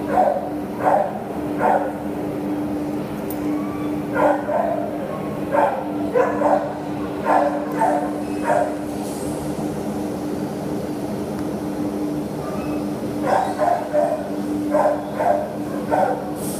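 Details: Terrier up for adoption on 27 September 2015, with repeated sharp barks in loose bursts, some doubled, pausing for a few seconds midway before resuming, over a constant low hum in a reverberant room.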